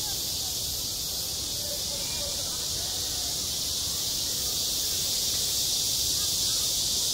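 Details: Summer cicadas at a school playground produce an unbroken, sizzling high buzz, growing a little louder near the end, over a quiet layer of distant murmuring voices.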